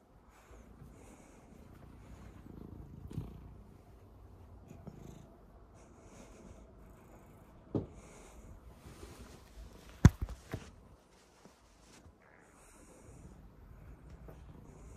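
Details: Rescued domestic cat purring steadily while being picked up and carried away without resisting; a low continuous rumble throughout, with a few sharp handling knocks near the middle.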